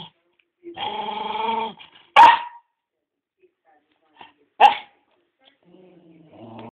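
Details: A dog playing with his ball gives a drawn-out harmonic growl-whine of about a second, then two sharp barks a few seconds apart, and ends with a low rumbling growl in a quiet room.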